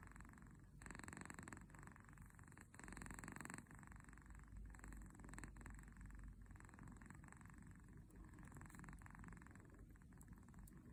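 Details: Kitten asleep, its snore compared to a tractor: a continuous low rumbling vibration swelling into raspy inhale and exhale bursts at roughly one to two second intervals, quiet indoor background.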